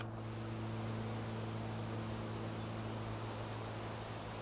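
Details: Honey bee swarm gathered in a tree beside a house in Newcastle, Ontario: a steady, continuous low hum with a drone-like tone under a constant wash of hiss, with no breaks or changes in level.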